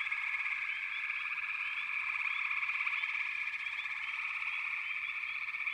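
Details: Dense frog chorus, a continuous high whirring trill with scattered brief chirps rising above it, no pauses.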